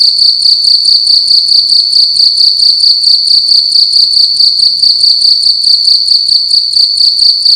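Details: Cricket calling loudly inside a room during the night; shrill, high ringing chirps repeated quickly and evenly, a dense pulsing trill filling the whole stretch.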